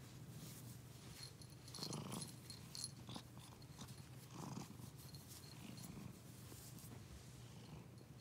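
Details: Cat purring deeply and continuously, breathier surges near two and four and a half seconds, with light scratchy rustling on top.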